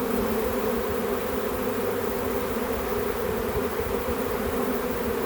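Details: Many honey bees swarming in a back yard as they are captured, producing a steady, full-bodied drone that holds level with no pauses.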